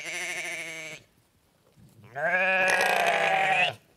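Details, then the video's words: Sheep bleating: a short, steady baa with a slight tremble, a pause, then a longer, louder baa that rises into a wavering, nasal cry lasting about a second and a half. No other sounds. "Sheep Sounds: Baa-rilliant Sheep Noises for Kids!"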